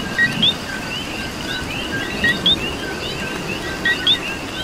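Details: Close coqui in Puerto Rico voicing its familiar co-qui three times, a brief low tone then a rising whistled second note, set against a busy frog chorus and rain patter.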